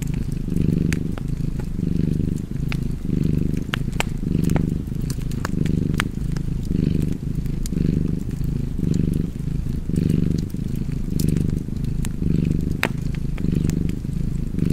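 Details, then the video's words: Cat purring steadily with a low rumble that swells and fades in breath cycles, roughly one each second, while sharp fireplace crackles and pops scatter throughout. "Cozy Purring Cat ASMR / Kedi Mırlaması"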